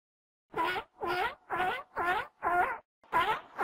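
A seal gives a quick series of nasal, harmonic calls, each about a third of a second long.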